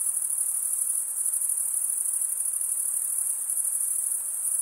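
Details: Crickets stridulate with wing against toothed wing vein, giving a constant shrill, fast-pulsed ringing that never breaks, steady in level, with only soft background hiss below.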